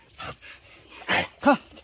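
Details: Jindo dogs hunting a water deer that entered a house yard: a soft noisy yelp, a louder rough bark, then a clear harmonic bark in quick succession.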